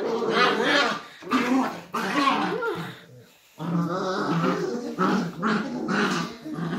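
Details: Indoors, Beagle puppies fight out an argument with steady harsh growls and snarls, a brief quieter lull midway, then renewed growling with sharper yelping accents.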